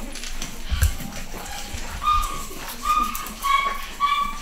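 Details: Home-bred pedigree Pug puppies, nine weeks old, in a UK litter: a few drawn-out, high, tonal whines spaced about half a second to a second apart, following soft low bumps of movement.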